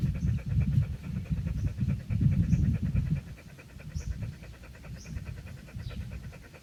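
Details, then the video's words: Hot male dog breathing hard under a tree on a very hot day in its home town, quick panting at about three to four breaths per second, louder early then easing off; faint high chirps from birds in the background. "DOG Breathing Sound, too Hot"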